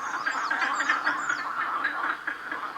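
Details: A dense night chorus of many frogs and toads in a thick, continuous wall of harsh, duck-like quacking croaks, with faint thin high whistles near the start, heard on a cool night near Durmitor National Park; possibly mating season.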